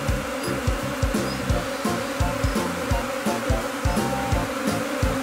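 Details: Japanese honeybees swarming in spring in Kinokawa, Wakayama, Japan, a second afterswarm from a colony that settled this spring, clustering on the same tree as before. Dense, droning wingbeat hum with a steady low tone and rapid pulsing surges.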